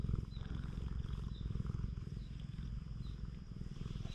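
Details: Free-roaming cat on a cat island, petted continuously, gives a low, rapid, pulsing purr that never pauses across the few seconds, recorded with a GoPro HERO8 Black; faint thin chirps sit far above the rumble.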